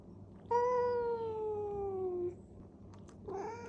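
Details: Cat in the middle of a fight, holding one long harmonic-rich yowl that glides gently downward for almost two seconds, then starting a second rising cry; quiet room otherwise.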